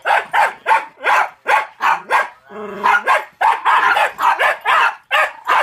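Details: Rapid, sharp barks from Toby, a one-year-old Jack Russell Terrier reacting to a talking Furby toy he dislikes, come in near-continuous bursts. The toy's tonal electronic voice breaks in briefly midway.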